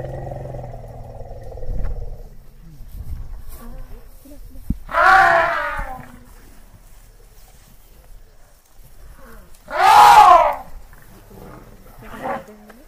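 An elephant gives two loud, brassy trumpeting blasts about five seconds apart.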